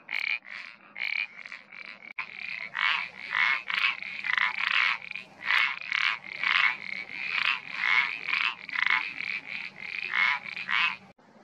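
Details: Iberian parsley frog calling: short creaky notes repeated about three times a second in a steady, dense series, with overlapping callers forming a chorus.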